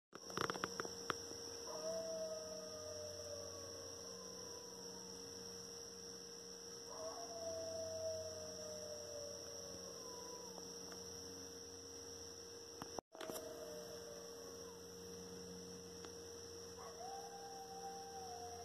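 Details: Coyote pack out at night in woods in New York, long drawn howls sliding downward in pitch, each lasting several seconds and repeated about every five seconds, over a steady electrical hum and a loud click midway.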